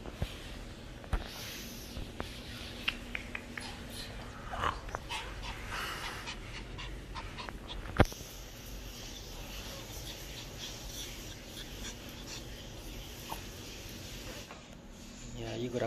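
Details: Pet dog belonging to a professional golfer, visiting a pet shop for grooming, panting steadily in soft breathy bursts with scattered clicks and handling noises; a person talks to the dog afterwards.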